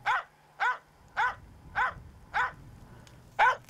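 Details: Finnish Spitz barking under a tree at a bird it has tracked, signalling the find to the hunter and holding the bird's attention: six sharp, even barks about every 0.6 seconds, with a low steady hum underneath.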